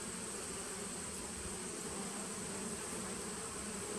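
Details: Nucleus colony of honey bees from 2017, recorded on 19 September 2018: an even, unbroken buzzing drone of many bees, low and full, with a faint thin high whine running throughout.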